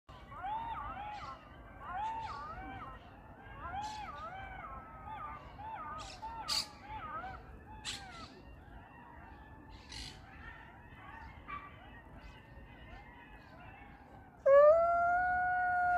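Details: Several jackals howl during courtship in Yarkon Park, in wavering, overlapping wails broken by sharp yips, ending in one loud rising howl.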